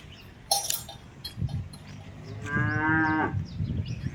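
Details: Simmental cattle from a newly created herd giving one steady, drawn-out moo late in the recording, after a sharp knock near the start, over a low rural background hum.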